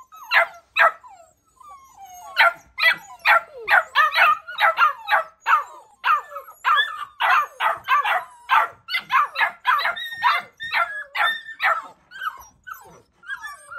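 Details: Labrador Retriever puppies bark in quick, uneven bursts, some sharp and yelping, with several voices overlapping.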